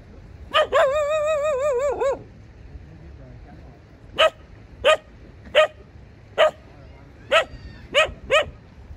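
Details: Domestic dog giving a long wavering whine of about a second and a half, then a series of sharp, clear barks spaced roughly every half to one second over a quiet background.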